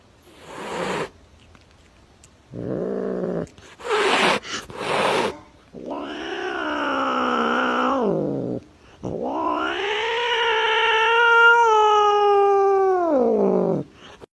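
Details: Cat calling: short noisy bursts at first, then long drawn-out wailing meows with strong, bending harmonics, the last one rising and falling over about five seconds.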